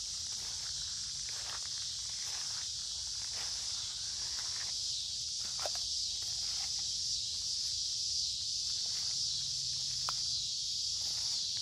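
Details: Many cicadas sing together on a warm, humid midsummer day along a woodland creek, an unbroken, shrill, buzzing wall of sound hardly varying in pitch or loudness, with soft crunching footsteps and faint rustles beneath.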